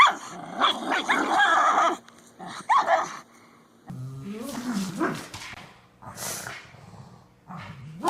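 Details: Dog at play in a tug-of-war game, giving rough growls and short barks in uneven bursts, broken by quieter gaps, with some human voices and thumping noises mixed in.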